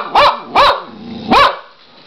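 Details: Pet dog barking while a person repeatedly asks what it is doing: three sharp, harmonic barks spaced about half a second to a second apart, with the owner's voice in between.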